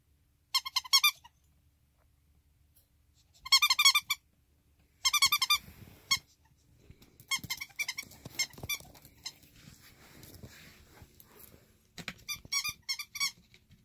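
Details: Indoor pet ferret, bouncing back a third time from a life-threatening state, utters rapid chattering runs of shrill, stacked squeaks lasting about half a second each, followed by shuffling and scraping noises, then another squeaky flurry.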